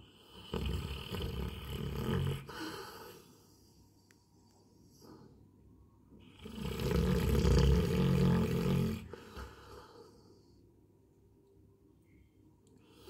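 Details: Sleeping Labrador Retriever named Coco snoring: two drawn-out, gravelly low snores several seconds apart, each swelling and fading over about two to three seconds, with soft breathing in the pauses.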